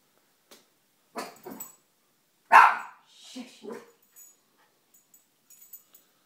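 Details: Pet dog, female, barking at the household fish indoors, a thing she has never done before; a few short sharp barks, one loud burst near the middle followed by softer yelps, with faint clicks and rustles.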